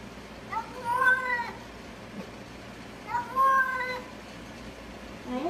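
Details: Cat meowing in a compilation about cats falling into water: two drawn-out, harmonic meows, each rising then falling, about two seconds apart, with a woman's coaxing voice nearby.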